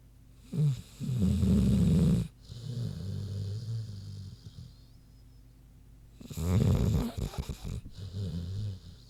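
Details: Queenie the big pig snoozing, giving deep guttural snores: a loud rasping inhale, a softer humming exhale, quiet breathing, then another heavy rumbling snore with short snorts.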